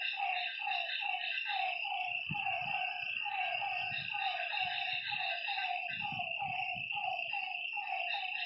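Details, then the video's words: A lakeside chorus of frogs at night, with short nasal notes repeated quickly and overlapping. A constant high whine of night insects runs throughout, and soft low thuds and rumbles are heard midway. "Lakeside night creatures and frog sounds"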